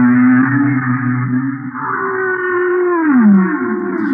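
A humpback whale sings long, moaning tones that hold steady, then slide downward, as part of its mating song.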